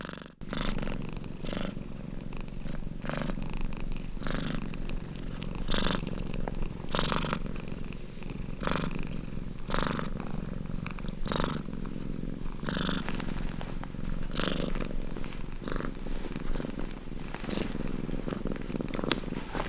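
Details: Close, continuous purr of a domestic cat, a deep vibrating drone broken by regular hissy breath pulses about every second and a half, steady throughout with a quiet room in the background.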